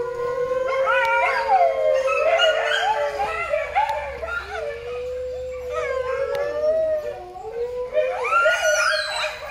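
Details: Coyote at a wildlife rescue center in Alajuela, Costa Rica, captive, giving long wavering howls that glide and quaver, overlapping higher yips and rising, sliding cries from more than one voice, continuous through the recording.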